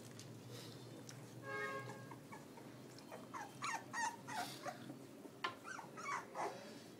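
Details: Eight newborn Pitbull cross x Belgian Malinois puppies, born May 19, filmed on an iPhone, give soft scattered whimpers and squeaks rising and falling in pitch, some stacked and harmonic, over a steady low background hum.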